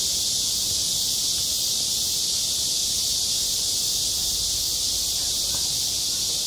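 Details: Summer cicada chorus over a school playground: one continuous, shrill, hissing drone at constant loudness that fills the whole clip without pauses.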